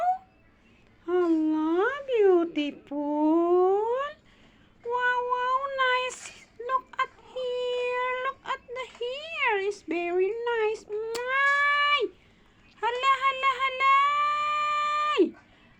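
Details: Kitten meowing indoors while settling back to sleep: a run of long, drawn-out, wavering meows with rich overtones, some rising then falling, separated by short pauses, plus a few brief clicks in a quiet room.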